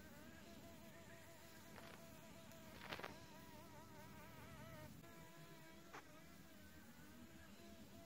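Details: Leafcutter bee at its nest in a sandstone wall in Australia: a faint, steady whining buzz that wavers up and down in pitch, broken by a few brief clicks and knocks.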